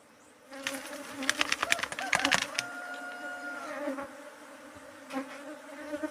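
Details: Honey bees being kept inside a box; a steady droning buzz with a low hum and clear overtones, overlaid by sharp clicking and tapping handling noises in the first half.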